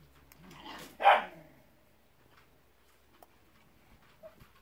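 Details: Pyrenean Mountain Dog puppies from one litter; a single short, loud yelp-like bark about one second in, after soft rustling, then quiet with a few faint clicks.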